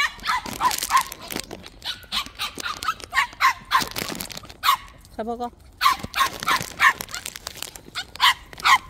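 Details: White puppies kept tied one apiece in a plum orchard, being fed; quick high yips and barks in bursts, a brief whimper midway, with a person's voice in the background.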